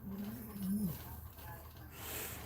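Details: Cane Corso female named Cashmere, indoors during labour and pushing to deliver another puppy after a breech birth: a low, drawn-out moaning groan that rises slightly and then falls over about a second, with a steady electrical hum behind.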